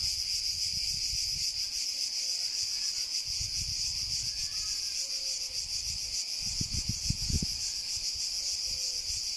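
A cicada gives a steady, high, hissing drone that never lets up.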